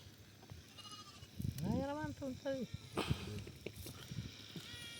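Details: Sheep receiving treatment for an eye ailment that leaves it unable to see gives a short wavering bleat, rising then falling over about half a second, while men talk close by throughout.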